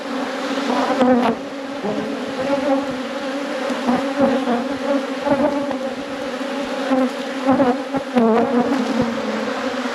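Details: Steady hum of honey bees from a thriving apiary at peak production. An unbroken, full-bodied drone carries through the whole recording with slight swells in loudness and no other clear sounds.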